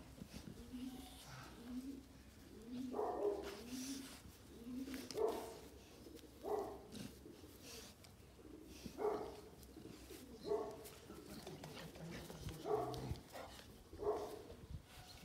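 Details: Presa Canario, April 2020, barking in single deep bursts roughly every one to two seconds across the stretch, interspersed with low wavering cooing-like tones and soft background noise.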